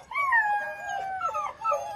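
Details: Baby black German Shepherd puppies from a litter of ten give a brief, thin howl that droops in pitch, with fainter wavering cries behind it and a low background hiss.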